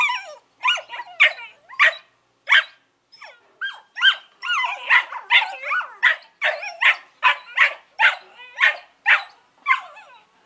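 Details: Two Collie puppies, Norris and Amica, 11 weeks old, keep up a run of high yipping barks and whiny squeals, short bursts about every half second with bent, wavering pitch, little pause between them.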